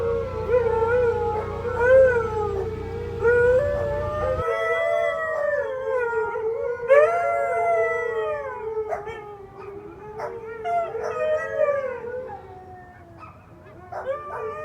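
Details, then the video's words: Household pack of four huskies and a Pomeranian in full howl: several long, bending voices overlap and waver, a low hum stops after four seconds, and brief yips punctuate the later howls. "with the noise of my four huskies and Pomeranian"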